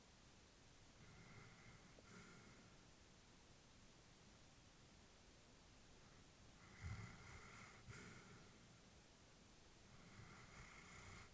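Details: Old female labrador asleep at home, breathing audibly: three soft, airy breaths spaced several seconds apart, each a gentle hiss with a faint nasal catch, one carrying a brief snort, against quiet room hush.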